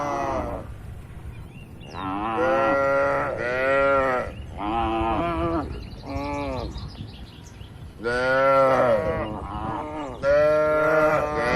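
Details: Tame cattle, dozens of them, in a large farm pen, mooing in a calm rural setting: a run of drawn-out, harmonic moos, some rising then falling, with short gaps and low background murmur.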